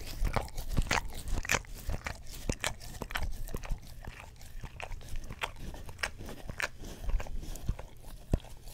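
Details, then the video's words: English Cream Golden Retriever, a pet dog, licking an Orapup tongue cleaning brush beside a Blue Yeti stereo microphone; wet smacking clicks and tongue slaps come in quick irregular bursts, nearly two per second, with low thumps. "ASMR Dog Licks Orapup Tongue Cleaner Brush - 1 Hour - English Cream Golden Retriever"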